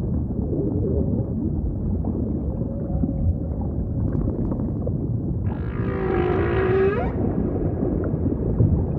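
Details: Humpback whale singing amid steady deep ocean ambience, with a soft sustained tone early on, then one harsh, rasping broadband unit with a low moaning tail lasting about a second and a half.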